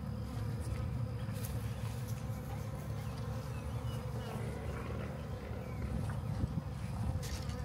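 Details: Massive honey bee swarm found in a backyard, being captured and moved into a hive: a dense, steady low drone of many wings with a deep rumble underneath, continuous throughout.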